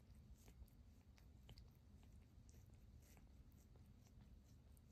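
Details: Two tabby cats grooming each other in bed purr in a soft, steady low rumble, broken by faint wet licking clicks.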